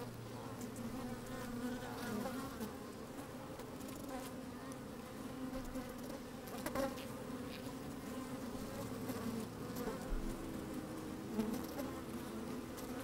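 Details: Honey bees busy inside an open hive on a sunny, breezy day, heard from a microphone slipped between them: even, sustained humming with a low steady tone at the start and middle, plus intermittent soft clicks and brief buzz surges.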